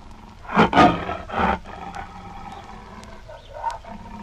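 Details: Tiger giving short, harsh growling roars, three loud bursts within the first second and a half, followed by softer rumbling and faint background noise.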